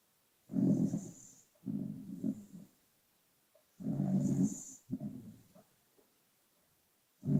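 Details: Pet dog sleeping and snoring, sound slightly boosted; low, rasping snores come in paired bursts, each breath-in rumble followed by a shorter second one, roughly every three seconds, with quiet gaps between.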